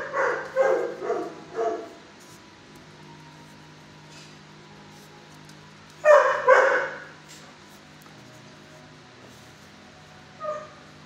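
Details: Shelter dog, aged six, barking from its kennel at a visitor before quieting; a burst of four barks, a long pause with low hum, a loud double bark, then one brief yelp near the end.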